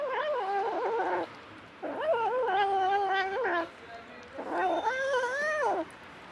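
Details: Stray mother cat caring for seven kittens, five her own and two adopted orphans; three long, loud, rising-then-falling meows with rich overtones, spaced about two seconds apart.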